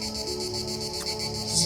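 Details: Loud cicada chorus outdoors, a continuous shrill buzz pulsing in regular beats roughly five per second over a constant low hum, rising slightly louder toward the end.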